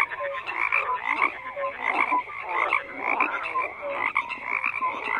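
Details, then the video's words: Crowded frog chorus: buzzy pulsed croaks layered with short tonal chirps, steady overall with rhythmic swells. "FROGS CROAKING"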